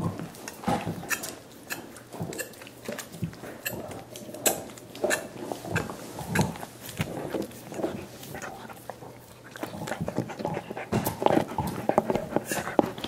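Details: Five dogs gnawing soup bones indoors as part of a dental hygiene routine; wet slurps and sharp crunching clicks come in irregular bursts, some overlapping, in a small room.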